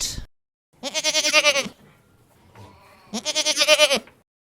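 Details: Goat bleating twice, each a long, nasal, quavering cry with a fast tremolo pulsing through it, the two calls separated by a quiet gap with faint low background noise.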